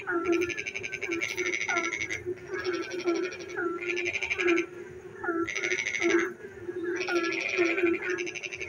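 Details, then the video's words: Frogs singing after dark while it rains, loud grating pulsed trills roughly every one and a half seconds, each often introduced by a quick upward chirp, over a constant low droning chorus. "frog singing in the dark night when it rains"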